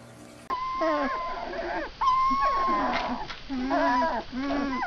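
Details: Several puppies in a compilation cry together in overlapping, wavering whines and yelps. The cries rise and fall in bursts of about a second, with brief pauses between. A person's voice is faintly mixed in.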